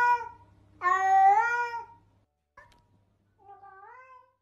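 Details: Domestic cat meowing: a long, loud harmonic meow sliding slightly down, followed by a brief faint note and a softer, shorter meow near the end; a low steady hum sits under the first half.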